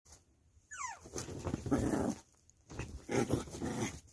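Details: Puppy responding to its mother, indoors: a quick pair of high, rising-then-falling whines near the start, followed by louder rustling and shuffling noises with muffled low sounds.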